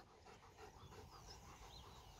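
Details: Zeus, a trained German Shepherd working through cued tricks, pants in quick breathy bursts, about four per second, soft and even throughout, while a person nearby gives short commands and praise.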